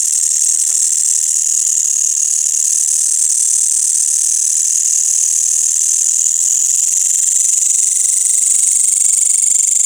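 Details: A nighttime village chorus of crickets and green grasshoppers after sunset: a continuous shrill, high ringing drone, even in loudness from start to finish, with a faint lower trill line joining partway through.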